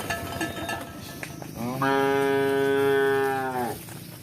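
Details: Cow mooing while cows run and walk: after a scuffling start, one long, steady, harmonic moo of about two seconds with a flat pitch that drops slightly at the end, over faint background noise.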